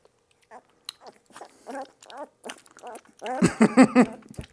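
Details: Two-week-old puppy being given butterscotch-flavored dewormer indoors, giving a string of short arched whiny cries that rise then fall, ending in a louder rapid run of three or four cries.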